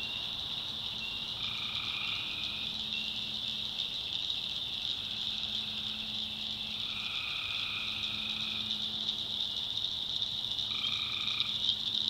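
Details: Tree frogs at night, North Carolina backwoods swamp: a steady high-pitched pulsing chorus, joined by repeated buzzy trills lasting about one and a half seconds, plus a long low droning tone that comes and goes.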